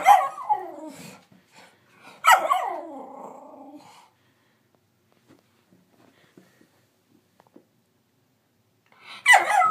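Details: Hattie, a nine-month-old miniature schnauzer, attempts barking and howling while finding her voice: sharp yelping barks that slide downward into short whiny howls, in two quick bursts at the start, a long quiet gap, then another outburst at the end.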